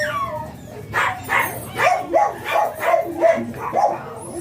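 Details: Miniature Pinscher at a breeding kennel in Manaoag during the morning, where a blue male named Ziggs was mated again; about eight short, sharp barks come in a quick, uneven run, with a low hum underneath.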